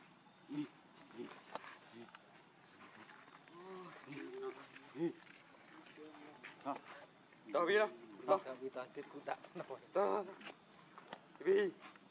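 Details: Baby macaque named Leo crying as it begs its mother for milk, with short harmonic wails and clustered louder cries toward the end, set among other chattering calls and outdoor background noise.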